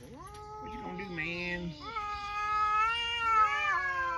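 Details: Cats talking: long drawn-out harmonic meows, two voices overlapping near the start, then one sustained level meow that rises slightly and swells louder toward the end, with a brief upward inflection at the close.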